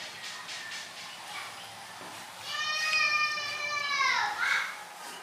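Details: A kitten calling for food gives one long, clear mew that holds steady and then slides downward, over soft background chatter.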